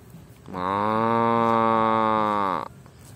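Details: One drawn-out, deep, even moo of about two seconds from a cow eating grass, starting and stopping abruptly against a quiet background.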